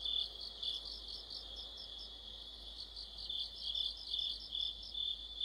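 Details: Autumn insect orchestra of crickets and their companions, a continuous high-pitched ringing drone overlaid with looser, less even bursts of sharp chirping that swell and fade irregularly.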